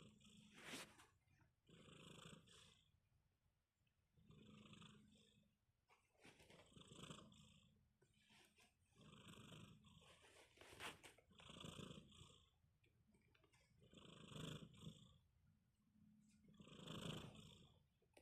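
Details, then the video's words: Sleeping kitten snoring softly: quiet, breathy rasping snores repeated about every two and a half seconds, each swelling and fading with a faint low hum underneath, in an otherwise still room. "Sleepy Kitty, tiny snores"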